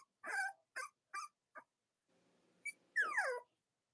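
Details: Cavalier King Charles Spaniel puppies, Robin and Myra's litters, filmed in the morning: four short yelps in quick succession, a pause, then a brief high squeak and a sliding, descending whine.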